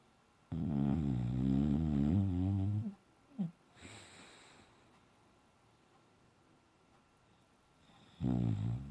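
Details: Bella, a Boxer dog, sleeping and dreaming indoors: a long, deep, rumbling harmonic snore lasting over two seconds, a short snort, a quiet pause, then another loud snore starting near the end.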